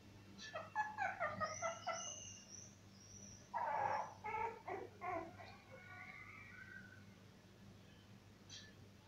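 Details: Cocker Spaniel puppies from a cocker mother, up for adoption at a veterinary clinic in Murcia, giving bursts of short, high yelping whimpers, a quick cluster early on and another a few seconds later, then quieter thin whines against a low room hum.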